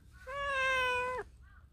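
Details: Affectionate stray cat at a workplace, showing its belly and asking to be petted; one loud, steady, drawn-out meow about a second long with rich harmonics, ending in an abrupt downward drop.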